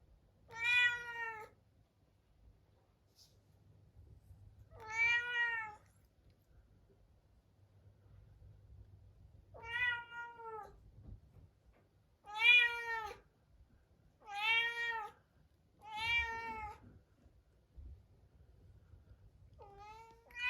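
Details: Young Munchkin cat, a pet shut alone in a separate room at dinnertime before next day's neutering surgery, meowing sadly; seven drawn-out, harmonic meows spaced two to four seconds apart, in an otherwise quiet room.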